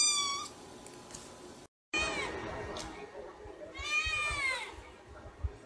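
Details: Kittens and cats meowing in a compilation of domestic pets: several high, harmonic-rich meows, some rising then falling, separated by a brief silent cut and a faint background hiss.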